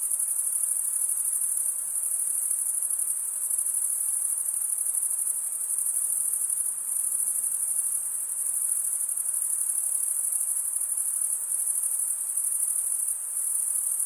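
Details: Male crickets stridulating with their wings make a continuous, intensely high trill that pulses very slightly but never pauses over the whole stretch, with a quiet hiss lower down and no other sounds.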